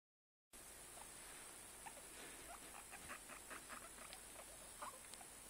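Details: Guinea pig giving scattered short squeaks after a brief silent start, soft chirps spread irregularly through the clip over a steady background hiss.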